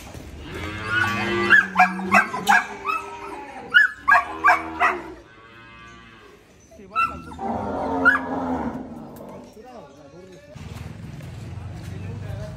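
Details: Cattle at Dhaka Agro in Bangladesh before Qurbani Eid; a harmonic moo-like call broken by sharp repeated clacks and knocking, followed by shorter lowing and a quieter stretch with faint voices.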